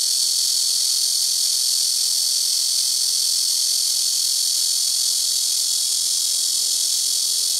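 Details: Loud black cicadas in trees beside a house rooftop, calling in turn from trees in front and to either side: a constant, piercing, high metallic buzz with no pauses, steady in volume.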